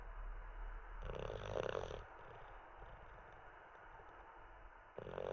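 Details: Sleeping Olde English Bulldogge named Teddy, resting after treats and a wee: one loud rattling snore, a long soft exhale, then the next snore starting at the end.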